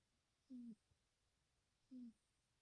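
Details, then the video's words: Black cats Little Missy and her son Purrfessor Midnight snoring together during twitchy REM sleep indoors, 2/21/2021; two brief humming snarfle notes, low and steady, about one and a half seconds apart against near silence. "TANDEM SNARFLE SNORING"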